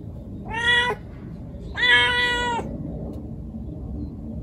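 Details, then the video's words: Female white calico kitten, about four months old, in her first heat, calling for a male: two loud drawn-out harmonic meows, the second longer and steadier, separated by a second of quiet with low background hum. "猫が反応する鳴き声｜発情期のメス猫 |オス猫を探す鳴き声"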